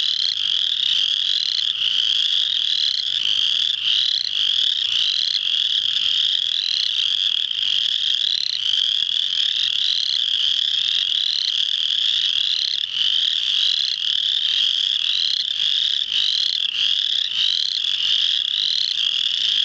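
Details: A March 7, 2009 spring peeper chorus at Muscatatuck National Wildlife Refuge, Indiana; sustained piercing peeping from many frogs at once, a constant high ringing texture with brief rising notes flickering throughout.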